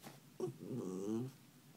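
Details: Memzy, a pet dog, playful after waking its owner, gives one short, low, harmonic grumbling growl of about a second that swells and then fades, with no other clear sounds.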